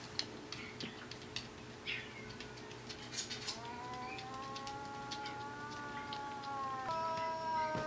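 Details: An older sister dog kept indoors howls back at the younger dog's cry. After scattered taps and clicks, a long, smooth, tonal howl begins, holds a level pitch for several seconds, steps up near the end, and grows slightly louder.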